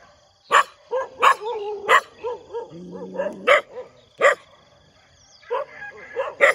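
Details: A dog barks in the morning: a few widely spaced, harsh single barks separated by softer whimpering yelps and a low whine, with quiet gaps between outbursts.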